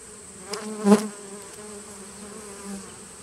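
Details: Honey bee from a 2017 nucleus colony, recorded 19 September 2018: a single low droning buzz swells and fades around the one-second mark, with faint humming before and after against a quiet background.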